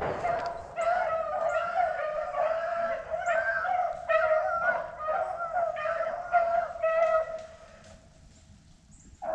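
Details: Rabbit hounds bay in ringing, tonal bursts about twice a second after jumping a rabbit and running it through a thick thicket, on a cold, dry day with poor scenting conditions.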